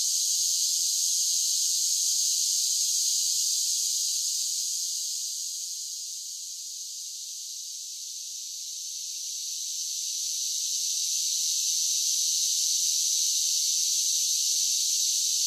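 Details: Summer cicada chorus singing as one continuous, high, rasping hiss that dips in loudness midway and then rises again, with no other sounds.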